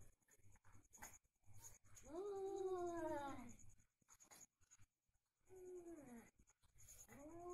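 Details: Fighting cats trade long, wavering yowls that rise and then slide downward, one drawn-out wail near the middle and another toward the end, separated by quiet gaps with faint thumps and scuffling.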